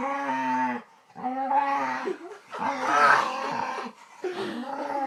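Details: Pet dog producing weird, drawn-out vocal sounds: sustained moaning notes that bend and wobble in pitch, a rougher growly middle section, then a final rising howl-like tone.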